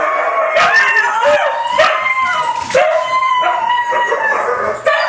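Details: Three white huskies howl as a group, their tonal voices overlapping in a dense chorus broken by short rising yelps and whoops roughly every second.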